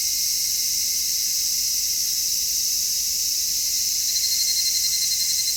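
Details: Cicadas singing in midsummer, recorded in stereo with an MKH-416 microphone: a dense, unbroken high buzzing chorus with a steady pulsing undertone and no pauses, holding even loudness throughout.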